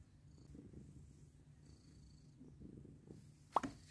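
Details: Purring from a mother cat that has taken in adopted kittens: a low, even, continuous rumble, ending with a short sharp tap or click.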